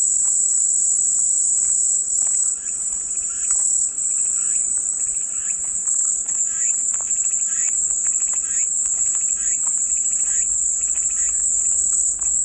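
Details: Calming cicada sound used as white noise: a continuous shrill, high-pitched drone runs through the whole stretch without pause, while fainter scratchy pulses and chirps flicker irregularly in the middle range underneath.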